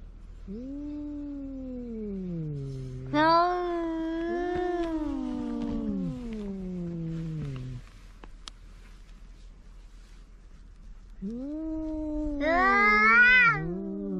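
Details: Cat calls used against mice: two long, wavering, low yowls lasting several seconds each, the first rising and bending before fading, over a faint steady hiss.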